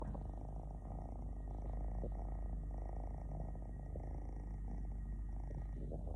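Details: Relaxed three-legged male domestic cat purring: a continuous low, rumbling purr with fast, steady pulsing that lasts the whole time, close up, with nothing else clearly audible.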